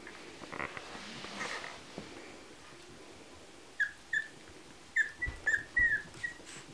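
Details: Chihuahua puppies at a kennel; high, thin, squeaky yelps, about eight short calls in the latter half, over a quiet background hiss.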